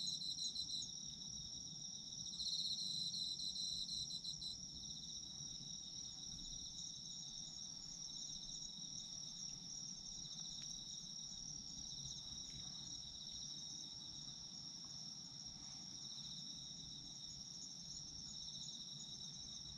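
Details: Chorus of autumn insects, recorded for sleep: continuous high ringing trills layered at several pitches, a brief pulsing burst near the start, then a smooth unbroken drone over soft low background hiss.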